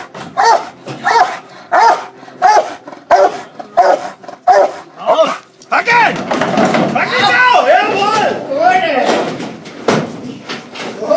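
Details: Adult female Rottweiler breeding bitch doing protection work inside a container in April 2013: a run of sharp, regular barks roughly every half second, then a dense burst of rougher barking and growling with a man's voice.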